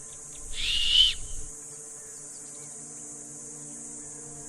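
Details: Young female Uganda kob in Uganda, agitated, calling in distress for her young killed by a leopard; a single short high whistle lasting under a second, over steady insect buzz and a low hum.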